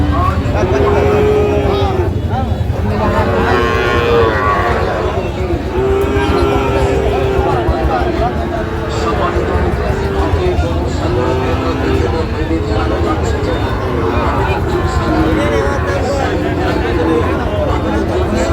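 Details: Sahiwal bulls at the Raniganj cattle market, Bangladesh, on 28 November 2024, with buyers from Barishal: several low drawn-out moos recur through the clip over constant crowd chatter, bargaining voices and passing vehicle noise.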